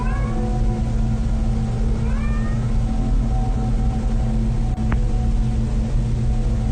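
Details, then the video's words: Domestic cat meowing indoors near a bed, as if looking for its companion that recently died; two short rising, harmonic meows near the start and around two seconds, faint over a loud steady low hum. "She begins recording a Snapchat after she notices her cat is meowing, like it's looking for its companion, and feels sorry for the little guy."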